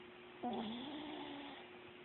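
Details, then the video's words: Sleeping Chihuahua lets out a single tonal, whistly snore about a second long, sliding slightly downward, over a steady electrical hum indoors. "Snoring Chihuahua"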